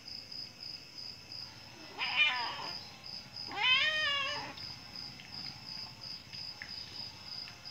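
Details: Domestic cat giving birth, crying out with two drawn-out wavering meows, the second longer and falling at the end, over steady high cricket-like chirping repeated about twice a second.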